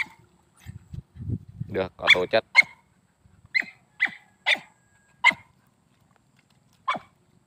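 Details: Native-line Vietnamese hunting dog (chó cỏ) barking in short, clipped barks spaced roughly half a second to a second apart, following a burst of low voices or rumbling at the start.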